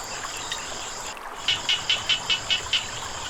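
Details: Frogs calling beside flowing water: after a short lull, seven sharp, clicky pulses come about five per second. A steady, high, hissing drone runs underneath the whole time.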